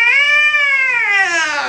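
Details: Cat angered by a vet visit lets out one loud drawn-out yowl, a clear harmonic wail that holds steady and then slowly falls in pitch.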